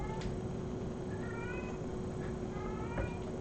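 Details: Female domestic cat meowing indoors in the background, a sound she makes while carrying a toy such as a gold crinkle ball or a bracelet; several faint, short rising meows beneath steady hiss and hum.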